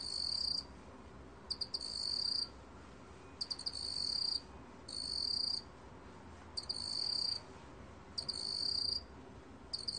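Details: Shrill chirping trills of a black field cricket, Korean National Institute of Biological Resources recording from 2020: bursts of rapid pulses about a second long, each often preceded by a few quick clicks, recurring roughly every two seconds.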